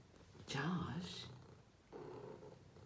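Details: Domestic cat purring unusually loudly indoors in a small room; a steady low rumbling drone runs throughout, with a person's voice speaking over it in the middle and again near the end.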